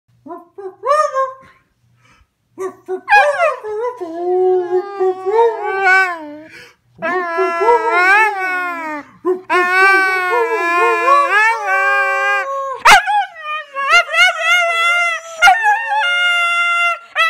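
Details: Husky singing along to the Sanford and Son theme indoors: long wavering howls with rich harmonics, sliding up and down in pitch, broken by short pauses and a couple of sharp clicks, with a faint voice at the start.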